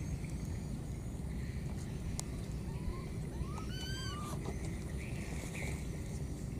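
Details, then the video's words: Wild baby monkey, lost, calling for its mother: a brief burst of several rising, overtone-rich whistled cries packed within about a second, then quiet except for a constant low rumble and scattered faint clicks. "This lost baby monkey keeps calling for its mother"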